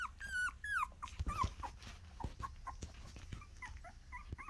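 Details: A litter of Miniature Australian Shepherd puppies, one of them a little girl, vocalising indoors: loud high whines that bend downward, then shorter squeaky yelps repeated irregularly about every half second, with soft thumps in between.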